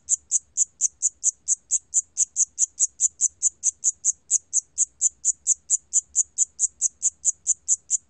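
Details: Siamese cricket song from Korea's National Institute of Biological Resources collection, 2020: crisp, piercing chirps in a fast regular train, around four a second, with only a soft background rumble.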